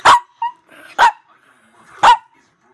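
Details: Pet female Chihuahua barking while talking back to her owner: three sharp, high barks about one second apart, with a short softer yip between the first two.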